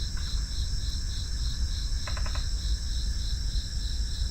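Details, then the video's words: A continuous shrill cricket trill, finely pulsed and unbroken across the clip. About two seconds in, a quick run of four clicks cuts through. A low background rumble runs underneath. "FREE SOUND EFFECTS: Crickets"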